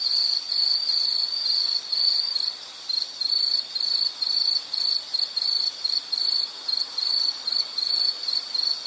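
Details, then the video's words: Insect calling in a nature soundscape: a high shrill trill that breaks after a few seconds into short regular pulses, roughly two per second, against a quiet background. "Nature Sound of nature sounds scenery L · insect"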